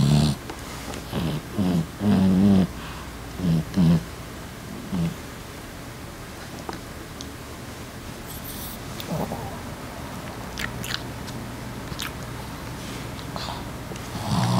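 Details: An adult female Boston terrier snores in low, rumbling bursts in a loose, uneven rhythm while sleeping, as she does nearly every day.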